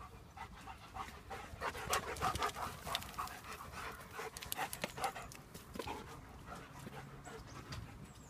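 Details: In the first sun of 2017, German Shepherds pant steadily at roughly three breaths a second, breathy and broadband, over light background rustle and a faint low drone.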